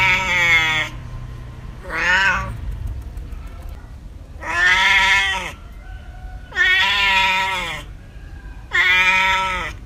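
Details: Cats and kittens meowing, gathered in a compilation meant to calm or confuse pets: five loud harmonic meows across ten seconds, some rising then falling, each lasting about a second, with quiet gaps between.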